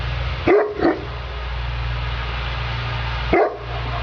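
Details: Sofia, a Neapolitan Mastiff working, lets out two sharp deep barks close together, a pause of over two seconds, then a single further bark, with a steady low mechanical hum underneath.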